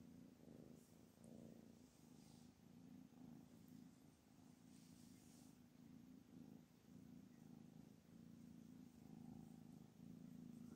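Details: Mother cat Anna, reportedly angry and refusing her kittens, keeps up an even, throaty purr that swells and eases in breath-length cycles, with light hiss-like background noise.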